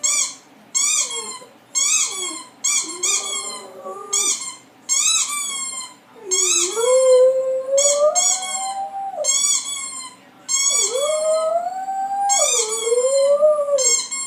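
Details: Roxi, a female pet dog indoors, reacting to a squeaky toy sound effect: rising and wavering whining howls in long drawn sweeps, some lasting two seconds, interleaved with loud rapid bursts of high toy squeaks.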